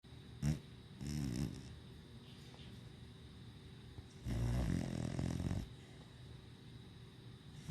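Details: Pet dog sleeping in an owner's lap, snoring: two long, low rumbling snore breaths about three seconds apart, with a short snort near the start, in a quiet small room.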